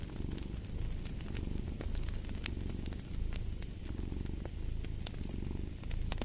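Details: Low, buzzing cat purr repeating in smooth breath-paced pulses under intermittent sharp pops of a crackling fire.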